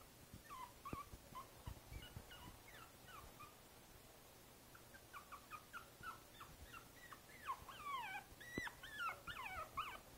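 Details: Boston Terrier puppy named Princess Izzy, five weeks old, in a basket on 12/4/2011, giving rapid high whimpers in two bursts, thin rising and falling whines repeated in quick succession with brief pauses between runs.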